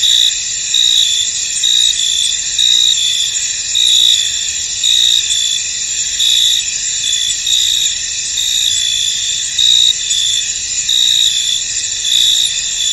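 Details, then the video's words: Crickets in a misty, foggy field, a dense high-pitched chorus of steady trilling with brighter pulsed chirps swelling roughly once a second over a continuous insect hum. "Tranquil Cricket Sounds In An Misty Field"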